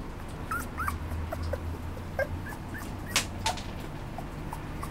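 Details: A Cavapoo, a Cavalier and Toy Poodle mix, gives soft, high whimpers and brief yips, each a quick rising squeak, over a low indoor hum.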